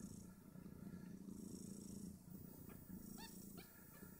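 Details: Two-day-old Snowshoe Siamese kittens, five of them, nursing and squabbling over teats; a low steady purr carries on beneath three brief, thin, rising-and-falling squeaks toward the end.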